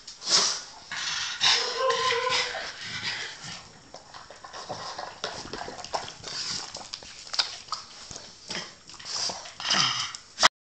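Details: A blind pug at dinner makes hissy, high-pitched snuffles and lip-smacking chews. A short nasal whine-like tone comes early, then comes a choppy series of crunching bites ending in an abrupt click.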